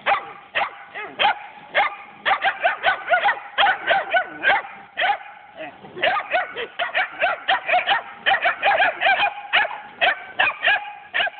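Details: Kangal and German Shepherd mix puppies, recorded on an Android phone: rapid, high-pitched yapping barks, roughly two to three per second almost continuously, some whiny and bending in pitch.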